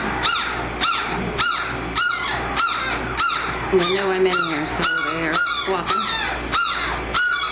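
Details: Eighteen-day-old American Mastiff pups of a Kimi x Viho litter at Sycamore Creek Ranch making sharp rising squeaks repeated about every half second, broken midway by a lower drawn-out whine and some talking.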